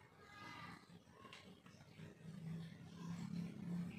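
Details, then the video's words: Domestic cats fighting over territory: a wavering, harmonic yowl in the first second, then a low, rumbling growl that swells and holds steady to the end, over background noise. "Kucing Berantem 🙀 Suara Kucing Berantem Rebutan Wilayah"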